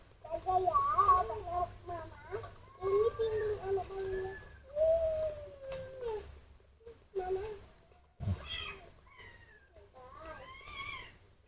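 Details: Hand-raised baby monkey named Mobi, unwell in the morning and crying for milk: high wavering squeals and whimpers, rising and falling in bursts, with a woman talking softly in Indonesian and a short stretch of music.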